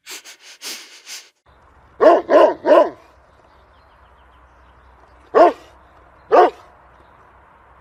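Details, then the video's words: A dog barks three times in fast succession, pauses, then gives two single barks, over a low steady hum, after some soft breathy puffs at the start. "Cachorro Latindo | Barulho De Cachorro | Som De Cachorro Latindo | Latido De Cachorro"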